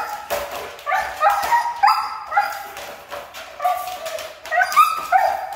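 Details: Hard-to-train Siberian husky producing a series of short, bright, yodel-like yips and whines, pitch jumping between notes, delivered in quick clusters with brief gaps.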